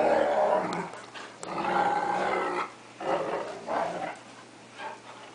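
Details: Two household dogs, a cocker spaniel attacking a 3/4 wolf 1/4 akita in play, growl in rapid throaty bursts, with loud snarling stretches broken by short quiet pauses.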